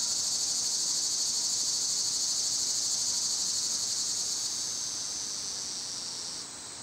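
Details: Cicadas in summer, loud at this time of year: a dense, steady high-pitched buzzing drone fills the air, easing slightly in volume near the end.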